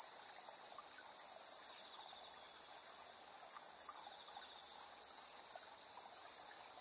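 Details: Insect voices on an evening at 7:04 PM, 3 September 2022, taken with a TASCAM Portacapture X8: a sustained high-pitched trill accompanied by regular shimmering bursts, about six across the stretch, against a calm, quiet backdrop.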